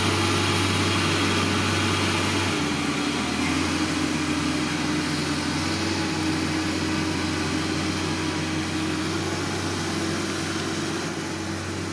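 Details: Constant engine-like mechanical hum with a low steady drone and broadband whir throughout, with no animal voice heard.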